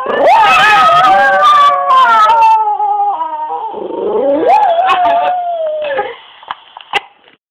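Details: Pet dog singing opera in long, wavering howls that rise and fall over several seconds, dip lower, then fade into quiet with a few faint clicks at the end.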